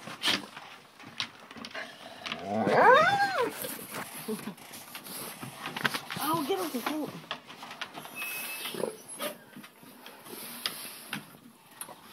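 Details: Black Great Dane puppies give drawn-out, wavering whines, one strong rising-and-falling cry early and a softer arched whine a few seconds later, amid rustling, clicks and background chatter.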